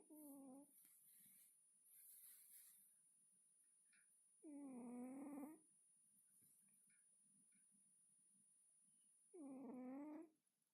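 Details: Domestic cat snoring and snuffling in deep sleep: long nasal wheezing breaths about every five seconds, each a harmonic, wavering sound, with a steady faint hiss behind.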